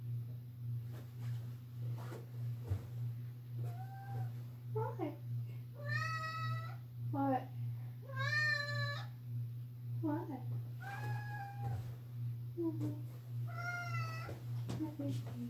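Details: Loud indoor meowing from a pet cat that wants someone to go downstairs with it: a series of short and longer meows, some sliding up then down, spaced a few seconds apart, with a person speaking and a steady electrical hum.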